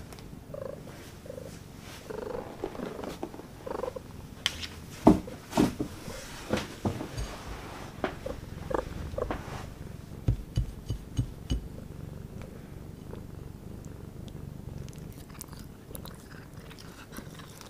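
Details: A Devon Rex cat purrs steadily while eating venison sushi, with soft chewing and smacking sounds.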